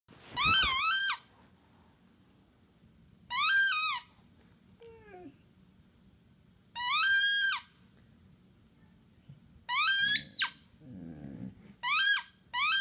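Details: Penny, a pet Basset hound aged five and a half, nearly howls for the first time: four high, drawn-out whining notes, each about a second long with bending pitch, spaced by quiet pauses, plus faint low grunting sounds between them.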